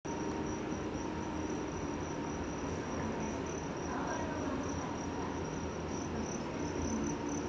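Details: Two-spotted cricket, an insect of Amami Oshima and tropical Southeast Asia, recorded in June 2019 at the Ishikawa Insect Museum, Ishikawa Prefecture. A thin, high, steady pulsed chirping runs throughout over a constant low indoor hum.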